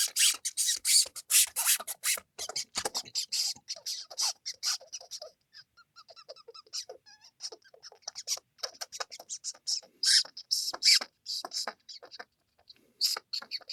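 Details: Mouse squeaking: dense bursts of very high, sharp squeaks and clicks, rapid and irregular, clustering in loud flurries at the start and again around the middle and end, with quieter chirps between.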